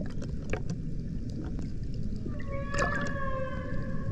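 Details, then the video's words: Humpback whale at Banco de la Plata, 120 km northeast of Puerto Plata, Dominican Republic, a humpback sanctuary, recorded in 2024: after two seconds of low rumbling water noise, a steady harmonic tone starts and holds, with a short crackle partway through. "Ballenas Jorobadas"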